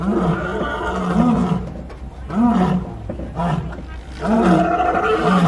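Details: Captive lions on the Kilimanjaro Safaris in Animal Kingdom, Disney World, give a series of short, low, arched roar grunts spaced roughly a second apart, partly masked by a rough vehicle rumble and background noise.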